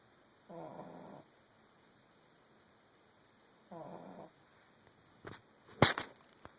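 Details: Young female pug snoring before dawn, two rough, fluttering snores about three seconds apart, followed by a few sharp clicks and a louder knock near the end against quiet room hiss.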